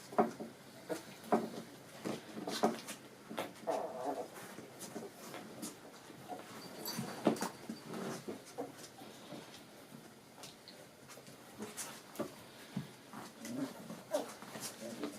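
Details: Four-and-a-half-week-old puppies tumbling and attacking each other in play indoors: a busy run of sharp scuffling taps and thumps, scattered short yips and brief throaty bursts, irregular throughout.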